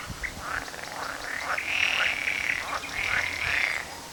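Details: On 18 May 2010, several frogs give rapid, rough croaking pulses at a fairly high pitch, overlapping into a steady, rattling, mid-pitched chorus that swells and fades over a few seconds.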